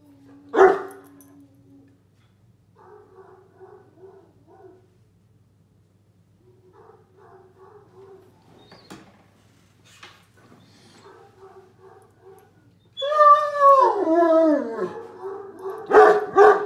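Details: A Great Dane howls loudly with a wavering, falling tone while watching a video of himself howling on TV, answering his own quieter recorded howl.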